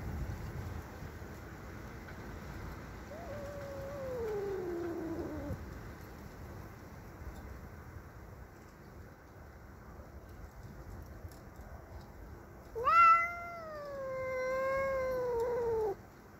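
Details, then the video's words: Domestic cat Cassey, angry at a neighbour's cat entering her territory: a softer falling wail, then after a pause a loud, drawn-out harmonic yowl that rises and sags for about three seconds, over a steady low rumble. "Cats fighting"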